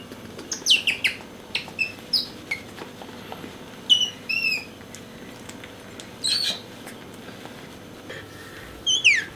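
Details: Bingo, a pet otter, keeps squeaking as his favourite orange towel is brought near and he comes toward it. He gives high, downward-sweeping squeaks, some in quick pairs and some drawn out, scattered over nine seconds in a quiet room.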